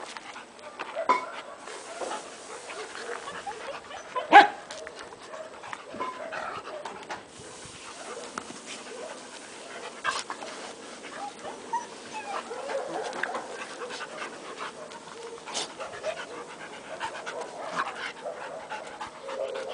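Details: A six-month-old Akita Inu gives a few scattered barks amid panting and soft whimpers while playing with another dog and some puppies.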